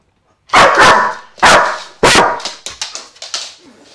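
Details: Loud barking from Vito the dog: three strong, harsh barks in quick succession, trailing off into softer, shorter yips.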